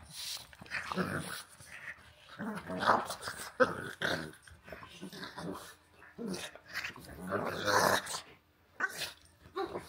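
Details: Walter the pug and Rhett Butler the husky play-fight together, producing rough, throaty growls and snarling bursts that come in irregular waves, broken by breathy huffs and short pauses, in a small indoor space.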